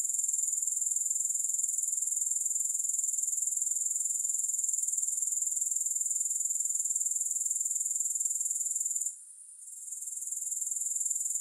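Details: Grasshoppers, no music, keep up a constant piercing high trill with quick even pulsing for most of the stretch. Near the end it halts briefly, then returns softly and builds back up.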